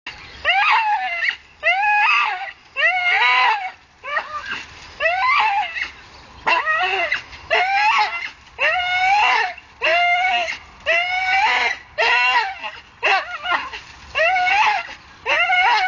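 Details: Staffordshire bull terrier hanging from a tree, working itself up on it. High, strained whining cries with wavering, rising-and-falling pitch, bursts of about half a second to a second repeated roughly once a second, with short quiet gaps.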